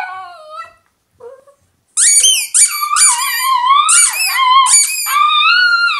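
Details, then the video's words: A female Italian Greyhound "sings" with her toy, howling in wavering, yodelling phrases that rise and fall, with squeaky whines between. "Mishka Singing Italian Greyhound"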